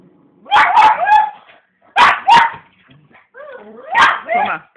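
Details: Indoor female pug reacting to the TV with three loud barking bursts, paired harsh barks followed by whiny, sliding whimper-like notes at the end.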